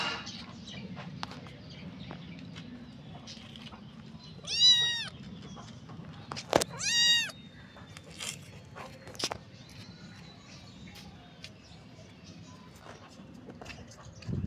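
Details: A kitten meowing loudly: two drawn-out, arching, high-pitched meows about two seconds apart, each rising then falling, over a low hum with scattered soft clicks and knocks.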